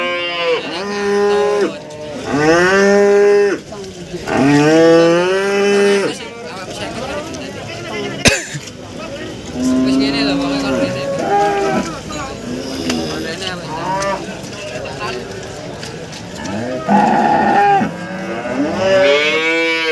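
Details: Several cows bellow in turn at the Warujayeng cattle market in Nganjuk, East Java: three strong, rising-then-falling moos in the first six seconds, then fainter lowing mixed with traders' voices and a sharp clack, with another moo near the end.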